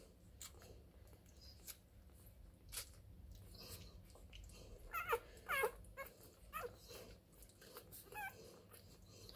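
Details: Newborn Labrador Retriever puppies, the first four of a litter born during a whelping, give thin, high squeaks and whimpers in a few short bursts bunched around the middle, over a low indoor rumble with faint rustling and clicks.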